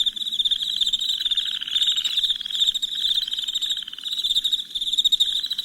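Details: Crickets at night in a dense chorus of shrill, pulsing chirps, a steady high trill that swells and dips in waves without pause, with a fainter low hum underneath.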